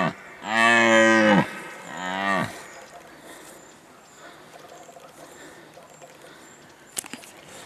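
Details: A red deer stag roaring during the rut in 2019 gives two deep, harsh roars, the first long and swelling, the second shorter.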